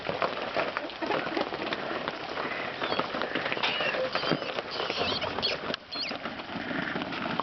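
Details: Newborn baby rabbits in the nest squeal on their own, left untouched. Thin, high squeaks come in brief rising and falling bursts over rustling and shuffling noise.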